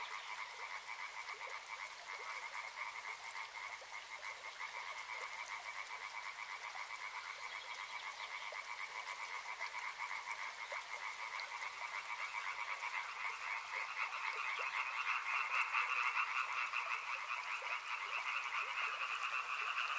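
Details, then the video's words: Many frogs calling together near a river, their rapid pulsed croaks forming a constant two-toned drone that grows slightly louder and higher toward the end, with gentle flowing-water hiss underneath. "Frog Sounds | Soothing sounds of river and frogs"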